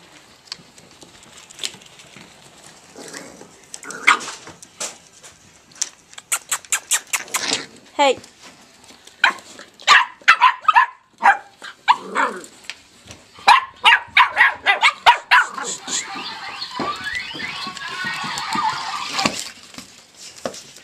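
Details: Irish Jack Russell Terrier puppies playing give short, sharp yips and squeaky barks over a person's chatter.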